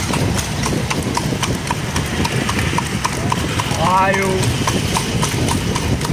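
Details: Horse and cart moving at night, hooves clip-clopping roughly 220 times a minute in an uneven rhythm, with cart rumble and a short spoken phrase near the end.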